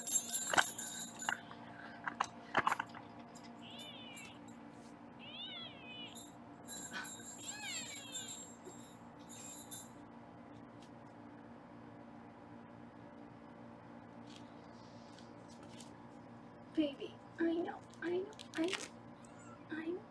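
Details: Several quick, bouncing high kitten mews repeat in a short burst while foster kittens are weighed in a Los Angeles kitten room, followed later by a woman talking, with clicks and steady hum in the background.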